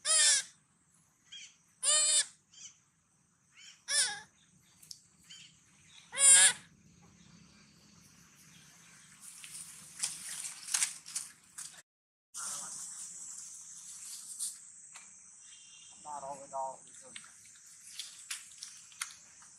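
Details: A hungry baby monkey gives sad, shrill, wavering cries every couple of seconds, looking for its mother.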